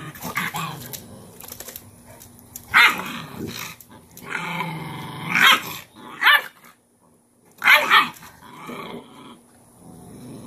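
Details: Cane Corso mother Cashmere disciplines her most dominant female puppy, laying it down in a submission posture; rough growls alternate with sharp, harmonic yelping bursts and short silent gaps across about ten seconds.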